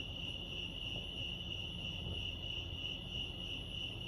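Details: Crickets chirping at Lake Arrowhead, California, at night in nature: a steady high-pitched pulsing trill held without a break, with soft low rumble beneath.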